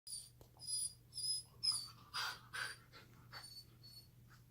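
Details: A Border Collie puppy gives high, thin whines in short bursts, about two each second.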